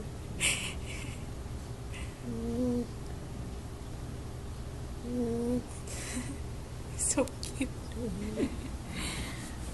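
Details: An eight-week-old Golden Retriever puppy named Oshie asleep indoors, snoring with short squeaky, whistling tones that recur about every three seconds with each breath, plus a brief remark spoken nearby.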